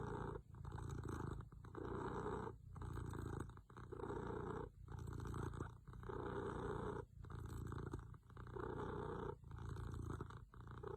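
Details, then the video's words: Domestic cat asleep, snoring in a steady rhythm: low rumbling breaths roughly every second and a half, each a grainy purr-like drone with brief quiet gaps between inhalations and exhalations. "My cat's best snoring"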